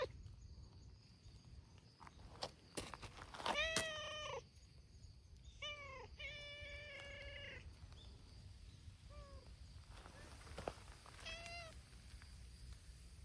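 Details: Community cats of a brown-tabby-and-white cat Hime's group, abandoned strays fed by volunteers, at a noisy cat gathering outdoors: several harmonic meows from more than one cat, some falling, some level and drawn out, overlapping in bursts, with clicks and low background rumble.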